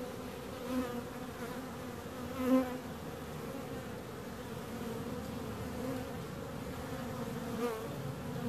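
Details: Continuous low buzzing of bees, a sustained drone with a couple of short louder passes as a bee comes close, otherwise even and unbroken.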